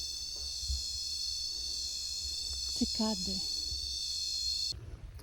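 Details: Cicadas singing at Lonely Beach on Koh Rong, Cambodia: a steady, shrill, high-pitched drone held without a break, with a woman briefly speaking over it partway through.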